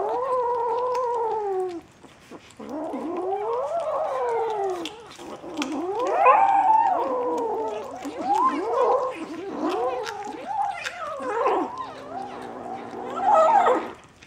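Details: Several Bengal kittens at a St. Petersburg cattery, 11 January 2015, producing long wavering mews that rise and fall, with brief pauses between bursts and overlapping calls toward the end.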